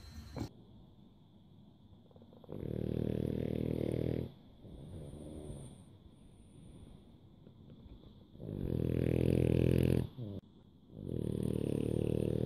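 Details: Sleeping bulldogs at a Dubai dog home in October 2015 during a snoring competition: long rasping snores lasting one to two seconds each, separated by quieter breathing gaps, with a faint steady high hum in the background.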